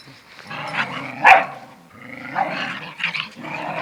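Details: A mother dog teaching her young son to stand up for himself: rough, raspy growling in uneven bursts with a sharp bark-like peak near the start, then more gravelly snarls, indoors and close by.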